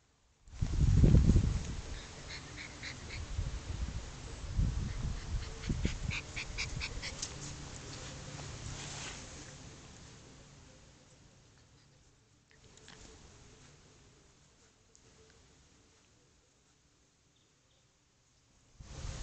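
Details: Chow chow dog at play: loud, low grunting and growling bursts in the first few seconds, then fainter high whining tones and a trailing rumble, with handling noise and a sudden thump at the end.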